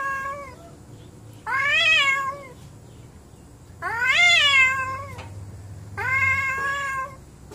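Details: Angry pet cats squabbling indoors, drawn-out wavering yowls of about a second each, the middle one loudest and rising then sliding down, three calls spaced roughly two seconds apart over a low room hum.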